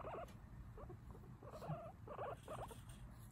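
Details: A chatting guinea pig gives a run of short, clipped squeaks and chirps in quick bursts over a low background hum.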